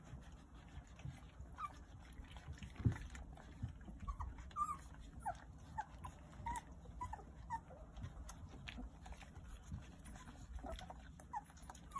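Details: Nine Jindo puppies, at the age when all their teeth are coming in, nursing from their mother; soft, high, short squeaks and whimpers repeat every second or so over a low, muffled background.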